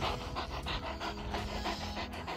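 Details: Fast, rhythmic breathy huffs from a Leonberger, about three to four a second, evenly spaced over a steady low hum.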